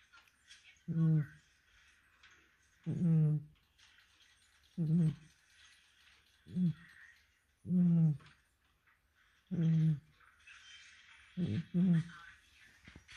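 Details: Snoring cat sounding almost human, a steady run of low, buzzy, tonal snores about every two seconds, some doubled, each short and rounded, separated by quiet breathing and faint rustle.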